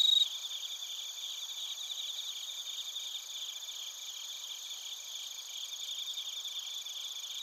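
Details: Crickets, including bell crickets, sing in Narita, Chiba Prefecture, Japan, recorded using a TASCAM Portacapture X8: an unbroken wall of high, fast pulsing chirps and steady shrill tones, a brief bright ring at the start.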